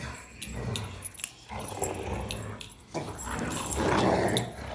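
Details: Three German Rottweilers, a male and his two sisters, wrestle and play outdoors; a Rottweiler makes low, rumbling growls and grunting noises in the rough play, with steady outdoor background noise.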